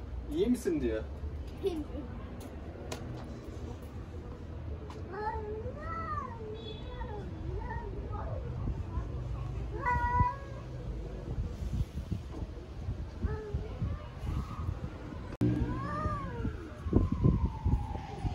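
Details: Stray domestic cats in Istanbul in a territorial challenge, loud wavering meows and yowls repeated at intervals, mixed with human speech and handling noises close by.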